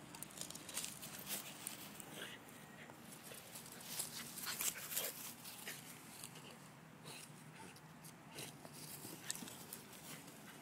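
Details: A Lhasa Apso messing around in play gives short, sharp yaps and soft whimpers in irregular bursts.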